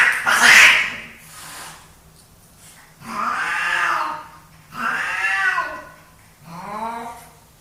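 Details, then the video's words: Two male pet cats fighting for dominance: a sharp, loud hiss bursts out first, then three wavering, whining yowls rise and fall in separate swells with short pauses between them. "My cats fighting for dominance!"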